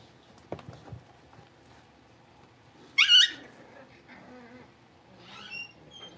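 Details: Blenheim Cavalier King Charles Spaniel puppies, a litter of five born at New Year, moved into a bigger pen; one short, high, squeaky yelp rising and falling, then faint soft whimpers and quiet shuffling indoors.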